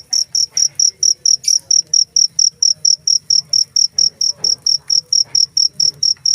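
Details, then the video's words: A cricket calls with sharp, high-pitched pulses at a steady pace of about four per second; a brief soft click interrupts early on. "suara jangkrik"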